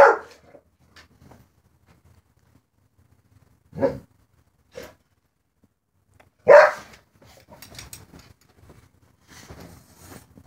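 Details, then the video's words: A dog barks at a cat outside, giving isolated sharp barks at irregular intervals, one strong at the start, a pair near the middle and a loud one later, followed by faint rustling noise. "Dog barking at a cat outside"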